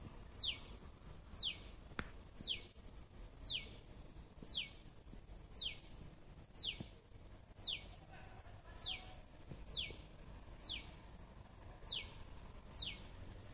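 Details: Repeated squirrel calls: a dozen brief, piercing notes that drop sharply in pitch, steadily delivered about once a second for over thirteen seconds, against a quiet outdoor hum.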